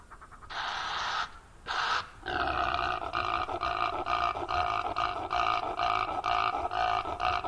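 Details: Impala, a rutting male during the breeding season chasing rivals or herding females: two harsh broadband snorts, then a long run of loud, nasal, drawn-out barking roars repeated about twice a second.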